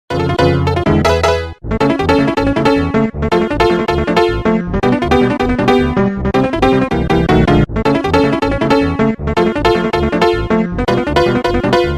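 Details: Upbeat electronic synthesizer music with a steady beat fills the whole stretch, and no animal can be heard.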